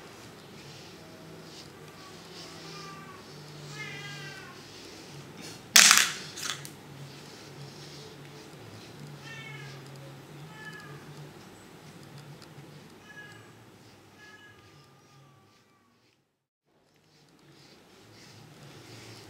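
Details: Young kitten indoors suffering violent itching; faint, short mewing calls come in small rising-and-falling clusters every few seconds, a sharp loud knock near six seconds, then a brief silent gap near the end.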